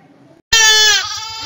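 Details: Young goat kid giving a loud, strained bleat that starts abruptly after a brief quiet moment, harmonic-rich and wavering, easing slightly in strength toward the end.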